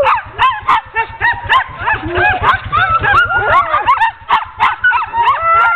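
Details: Ten sled dogs yip, bark and whine in a restless chorus as they are hitched for a training run on 16 October 2010, calls tumbling over each other several times a second above a low rhythmic hum.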